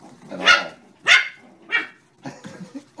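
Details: Terrier puppies playing with Maeve, a dog whose beard they keep pulling, give three sharp yapping barks about half a second apart, then softer broken yips and squeaks near the end.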